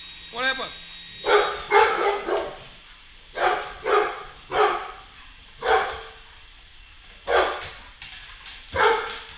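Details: Boisterous Golden Retriever indoors battling a Roomba; a series of short harsh barks spaced roughly a second apart, with a brief whine at the start and household background noise.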